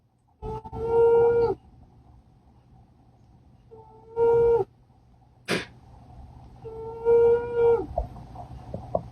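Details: A sleeping female cat named Poopy gives nasal, whistle-like snores. Three steady tonal notes, each about a second long, arrive every three seconds or so. One sharp brief noise falls between the second and third snores.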